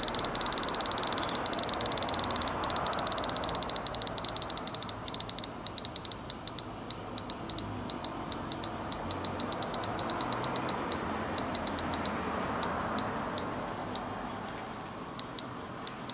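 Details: Cicada calling in Fukuoka, Japan: fast high ticking pulses at first, gradually thinning into sparser, irregular clicks toward the end, with soft background hiss underneath.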